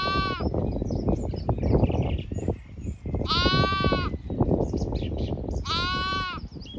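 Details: Late-afternoon grazing by Zwartbles sheep and lambs, regenerative farm, County Kilkenny, Ireland; three bleats spaced about three seconds apart, each tremulous and nasal, amid heavy rustling from the flock and faint birdsong.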